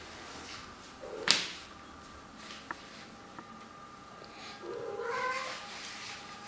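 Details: A Maine Coon at home, playing with a slipper, gives a drawn-out, slightly rising meow after a sharp slap-like smack.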